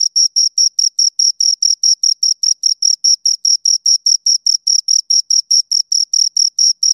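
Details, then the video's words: Rhythmic high chirping from two crickets: a long, even series of brief, piercing pulses at roughly four to five per second, steady in pitch and loudness, in silence otherwise. "Two Crickets Chirp Sounds"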